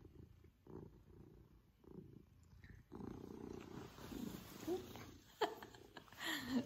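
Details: Pippin, a male Maine Coon cat, purring while cuddling affectionately with his family; a low rhythmic purr pulses about once a second, with a woman talking softly over the second half.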